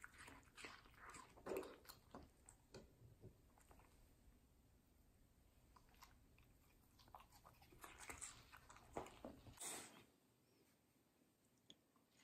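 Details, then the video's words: Middle, a medium-size fluffy female Samoyed, eats juicy, sweet watermelon in a close-miked session: wet, crunchy bites and smacking chews in irregular bursts, loudest around the second and tenth seconds, over a low steady hum. "ASMR Dog Watermelon Review - Middle the Samoyed"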